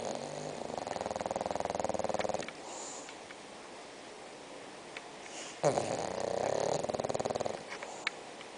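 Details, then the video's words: A six-month-old bulldog named Spock sleeps and snores, rattling vibrating snores in two bursts of about two seconds each, rough and pulsing, separated by quieter breathing, indoors. "Bulldog Roncando"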